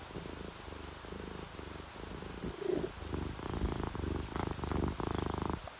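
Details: A sleeping orange tabby or calico cat purrs in contentment, mixed with rain: a quiet, low continuous rumble with gentle breath swells, growing slightly louder toward the end amid faint background hiss.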